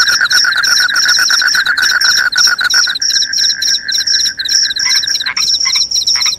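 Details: Crickets, said to drive off rats and make one sleepy: loud overlapping high chirps with a rapid lower pulsed trill, turning to a steadier tone, then a few rising buzzy notes at the close.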